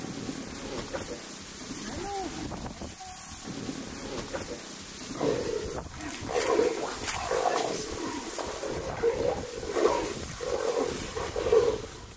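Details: A male and a female jaguar fighting as foreplay, wild in the Pantanal; a run of short harsh snarling bursts, repeated roughly every second in the second half, over steady background noise and faint voices.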